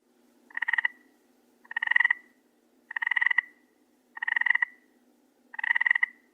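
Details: Toad croaking, set against pond and marsh ambience: five harsh, pulsed croaks, each about half a second long, repeated roughly every 1.2 seconds with a steady rhythm; a faint low hum runs underneath.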